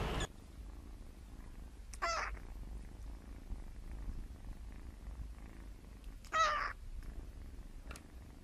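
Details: Kittens learning to meow give two short, thin, high-pitched mews about four seconds apart over a steady low purr throughout, with a brief rustle at the start.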